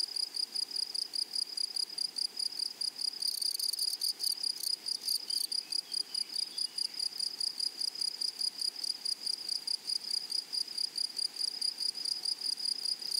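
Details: Grasshoppers calling across a flowery meadow make a shrill, regularly pulsed chirping. Early on a brief, louder, broad buzzing burst sweeps over the chorus before the steady pulses take over again.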